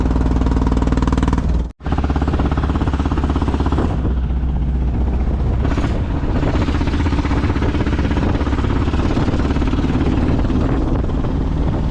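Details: Steady low engine and vehicle rumble with clattering and whirring, a brief cut to silence near two seconds, then continuous mechanical drone; no animal voice.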